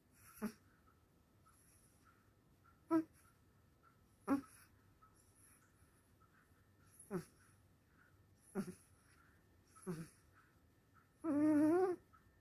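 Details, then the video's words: Female Chihuahua asleep on a bed indoors, snoring loudly: short snorting breaths repeat about every one and a half seconds, then a longer, wavering, voiced rasp closes the sequence in a quiet room. "chihuahua snore while on bed"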